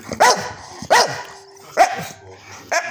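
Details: A male English Staffordshire Bull Terrier gives short, yowling bark-like calls, demanding his breakfast.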